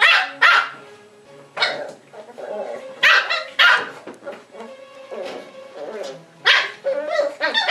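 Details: Almost seven-week-old wire fox terrier puppy, the one marked with a white stripe, reacting to the camera with sharp, high puppy barks in short bursts separated by quieter whiny yaps and gaps.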